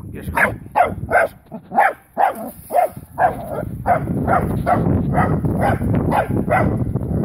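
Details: Female wire-haired dachshund barking at her first encounter with a live wild boar: sharp, harsh barks in a quick run of about two to three per second, merging into denser, rougher barking over steady rustling background noise.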